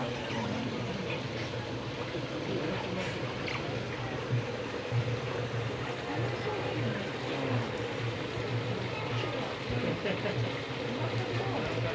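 Steady splashing and trickling water over a low mechanical hum, with faint indistinct voices and no clear animal calls.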